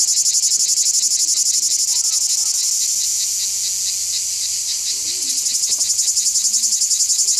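A cicada sings a loud, harsh, high-pitched buzz, pulsing rapidly without pause.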